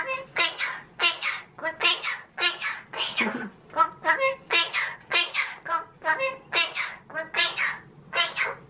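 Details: Pet magpie, a male, talking indoors in a cheeky mood: steady strings of speech-like babbled syllables, about two per second, with rich harmonic voicing like a person's chatter.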